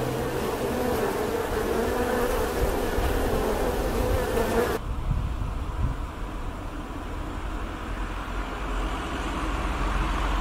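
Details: Bee buzzing: a steady, droning hum with a faint tonal whine for the first five seconds, then an abrupt cut to a lower, rougher rumbling buzz that continues to the end.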